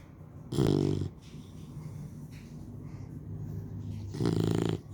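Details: Three-month-old Labrador Retriever puppy asleep, snoring in low, rasping breaths: two loud harmonic snores about three and a half seconds apart, with softer breathing between.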